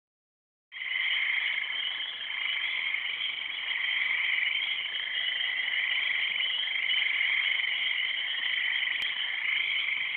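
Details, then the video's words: Frogs calling in a dense, continuous chorus, an unbroken high trilling drone that starts abruptly after a moment of silence and holds steady throughout, recorded on an Android phone. "Frogs, Frogs and more Frogs"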